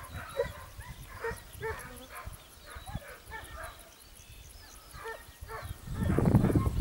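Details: Segugio Italiano hound near Sofiko in Evros, 12 June 2021: ringing, harmonic bays and yelps repeated roughly three times a second, fairly far off, before a loud burst of wind or handling rumble closes the recording.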